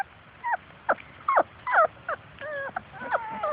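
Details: Young Labrador Retrievers of Grace and Sam's litter at play outdoors, chasing their mother, give short high yelps and drawn, wavering whines, about two a second, some sliding downward, while a woman coaxes them to play.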